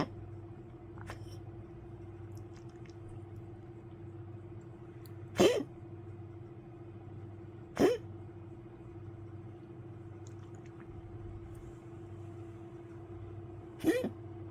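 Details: Elderly poodle coughing deep in the night on 1 May 2025: three short, rough cough bursts spaced several seconds apart, quieter and irregular, against a constant low mains-like hum.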